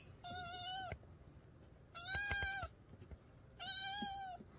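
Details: Domestic cat crying, used to keep rats away in the countryside: three prolonged, fairly level and slightly harsh meows, each under a second long, repeating roughly every one and a half seconds.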